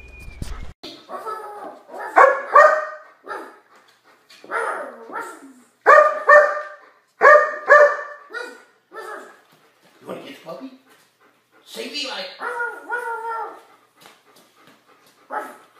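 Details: Trained, disciplined German Shepherd dogs barking in short bursts of two or three sharp barks, with irregular pauses between bursts, then some softer yips near the end.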